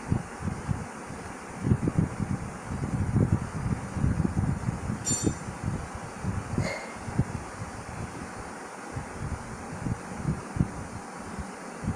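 Low rumbling wind or mechanical noise with a couple of faint clicks, and no clear animal voice.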